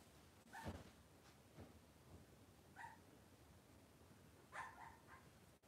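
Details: Cavalier King Charles Spaniel puppies on an indoor kitchen camera on a cloudy Monday morning; a few faint, short, high yips with a whiny tone come at spaced intervals over quiet room noise.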